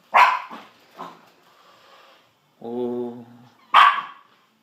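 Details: Pet dogs named Sausage and Weenie, urged to get the kitty, give sharp barks near the start and end, with a voice speaking between them in a room.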